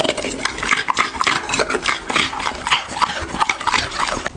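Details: Dog eating, recorded close up for ASMR: dense crunchy, crackling chewing bursts packed tightly together, with sharp clicks of teeth on food repeating several times a second and no other sounds.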